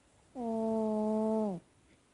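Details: Pet cat asleep and snoring, one drawn-out whistling tone of flat, unchanging pitch lasting just over a second, with clear harmonics and a sudden start and stop against near silence.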